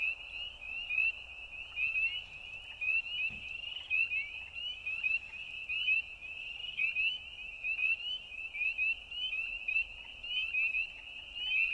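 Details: Frogs calling at night: a dense, unbroken chorus of short, high, upward-slurred notes that overlap in quick succession, with no other clear sounds.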